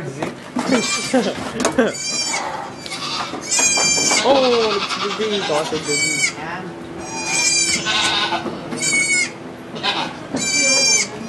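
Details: During the birth of two baby goats in a Quebec sugar shack, Canada, iPod Touch 4G recording: bright, buzzy bleats recur roughly every one to two seconds amid ongoing French chatter and a low steady hum.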